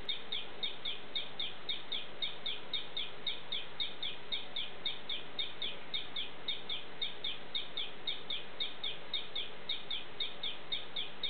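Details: Morning calling of the poison frog Ameerega hahneli. A long, steady series of brief, high chirps is delivered at a fast, very regular pace of roughly four notes per second, over continuous low ambient noise.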